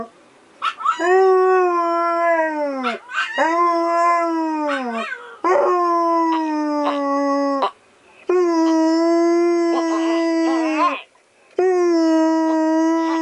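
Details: Siberian Husky howling back at Pomeranian cries on an evening in November 2016; five long, steady, rich-toned howls in a row, each held two to three seconds with brief gaps, some ending in a falling slide, higher yips mixed in.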